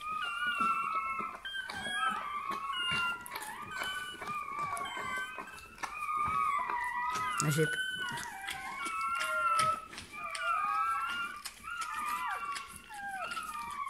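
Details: Newborn Bernese Mountain Dog puppy, indoors at its birth, repeatedly squealing in short high wavering whines and longer falling cries, while a woman speaks softly and encouragingly over it.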